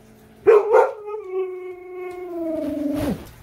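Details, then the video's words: Siberian husky Manson vocalizing in a talkative, arguing manner: two short yelps followed by a long, level, harmonic howl that slides down abruptly at the end, against a quiet indoor background. "husky talk"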